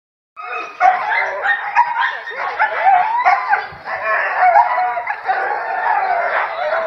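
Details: Huskies from a husky-tour team calling together: a dense chorus of overlapping howls, yips and wavering whines, loud and continuous.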